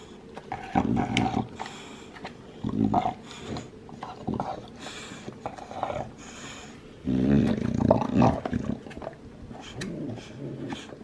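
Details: Male two-year-old Olde English Bulldogge, lilac tri coat, gnawing on his bone; low throaty growl bursts rise and fall between bouts of crunching and scraping clicks, loudest near one second and again after seven seconds.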